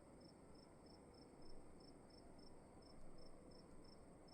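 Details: Crickets calling inside a room: faint, high, thin chirps in short even pulses, about three per second, steady throughout, over a soft low hiss of room noise with no other clear sounds.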